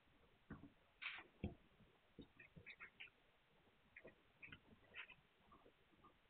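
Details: Several Hungarian Vizsla puppies, 9 March 2021, produce thin, high squeals and little nasal yips, a couple of stronger yelps early then a chain of quick, chirpy squeaks with light bumping sounds.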